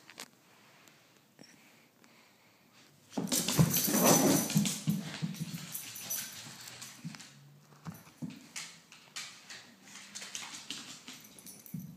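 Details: Corgi Yuki, filmed close up, refusing to fetch without a battered toy bear: a loud breathy rustling burst, then quick rhythmic panting breaths, about three or four per second, continuing steadily to the end.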